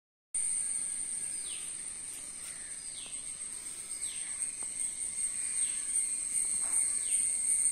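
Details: A cricket in a mango tree in the Western Ghats, India, holds a steady, piercing high-pitched trill, with faint descending whistles repeating in the background.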